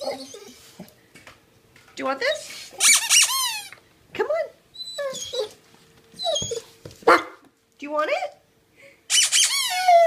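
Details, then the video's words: Otis the dog tells his owner he wants a new toy. Short whiny, squeaky vocal bursts with sliding pitch come in bursts separated by brief pauses, with a person's voice in between, in a small indoor room. "Otis telling me he wants a new toy."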